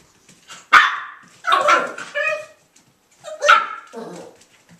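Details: Three male Irish Jack Russell Terrier puppies, Mushroom, Portobello and Patty, playing at Violet Meadow Farm; sharp, high yips and short barks in three bursts over about five seconds, with quiet gaps between.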